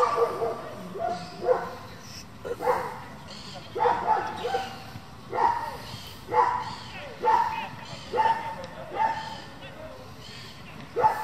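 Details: German Shepherd from a breeding and competition working group barking in steady series, loud broad barks roughly once a second with short gaps, alongside low background rumble.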